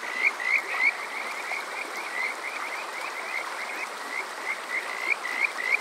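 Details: Kajika frogs calling on a summer night at Water Park Shirayama, Yokoze, Chichibu, Saitama, Japan, on a TASCAM DR-05X: bright, rising whistled notes repeated quickly in a continuous chorus, several callers overlapping, with a soft rushing background.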